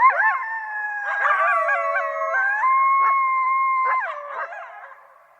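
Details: Coyotes howling together, overlapping voices forming stepped, wavering tones with short yips mixed in; one long steady howl stands out before the chorus breaks into yips and fades.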